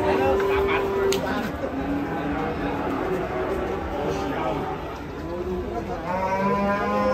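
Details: A huge cow, described as a raging monster, being unloaded from a truck: drawn-out, tonal lowing moos at the start and again near the end, over a busy background of men talking and shouting and general crowd noise.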